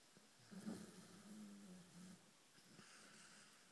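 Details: Sleeping Greyhound snoring indoors, a low droning rasp that swells and holds for about two seconds before fading into quiet breathing.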